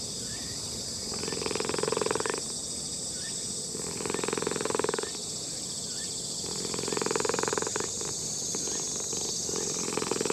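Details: An old orange-and-white cat in a park purrs while a person strokes it. The purr is a throaty, pulsing rumble that swells for about a second at a time with short pauses between, over a steady high, insect-like hiss.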